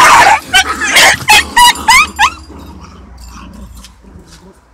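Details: Small dog attacking a bigger dog in a scuffle: a burst of sharp, yelping barks in quick succession over about two seconds, some rising in pitch, then fading into quieter background noise.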